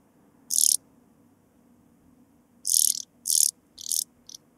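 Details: Sphingonotus caerulans, the blue-winged sand grasshopper, recorded in Bernstein, Austria, 2 August 2023, through a Pettersson D 100 ultrasound detector with noise removed. A lone high, sizzling rasp is followed after a pause by three quick rasps and a short final flick.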